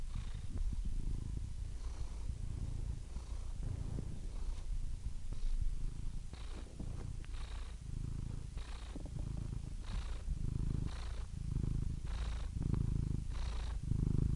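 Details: Cat purr, deep and rumbling, pulsing with each breath about once a second, louder swells toward the end, otherwise quiet.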